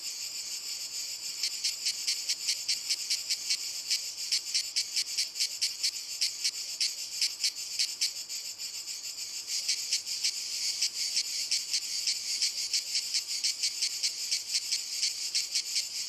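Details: Group of cicadas singing on walnut trees, a high rasping buzz throbbing in quick regular pulses nearly throughout, with a brief smoother stretch around the middle before the beating resumes.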